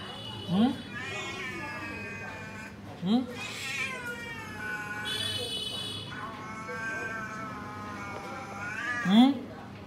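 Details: Tall cat outside a door, waiting for food, utters long wavering meows that stretch into drawn-out caterwauls, with short sharp rising squeaks at the start, middle and end.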